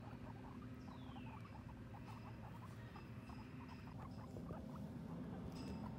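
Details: Two female guinea pigs, Sheik and Penny, on their first time outside, exploring and eating grass; quick soft clicking pulses repeat rapidly and unevenly over a steady low hum, with a faint descending whistle above.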